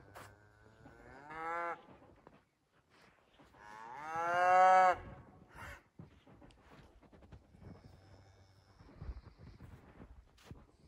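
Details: Scottish Highland cattle cows on a farm in Finland, running through snow toward a forest on 6 January 2021, filmed on an iPhone 11: a short moo, then a louder, longer drawn-out moo, with trampling and rustling between.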